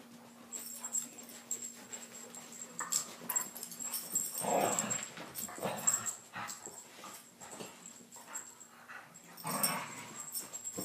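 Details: Two dogs fighting indoors, trading short rough growls and snarls that build to a louder burst mid-way and flare again near the end, with scuffling noises and a steady electrical hum beneath.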